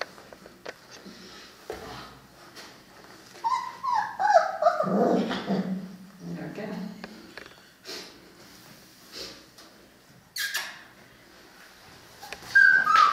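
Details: Three-week-old Cane Corso puppies from the litter of Paula and Bullet; a run of high whines sliding downward, with a louder, lower whimper in the middle and squeaks near the end, over soft speech and handling noise.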